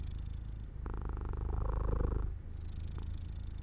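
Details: Domestic cat purring as it falls asleep near an open window in the sunlight, indoors; a low, steady rumbling purr with a rapid even pulse, swelling louder through the middle then easing off.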